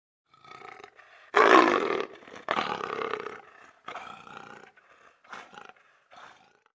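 A leopard gives a series of harsh, rasping grunts, loudest early on and then fading.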